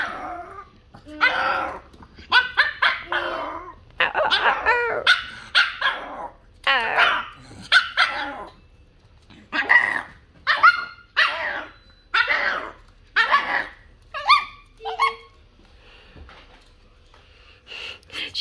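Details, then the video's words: Cookie the Pomeranian, left at home in a lion dance costume while her owners were out, complains on their return with a long run of whining yelps and barks, rising and falling, some drawn out, about one per second. "Whining about us out for too long and left her in lion dance costume"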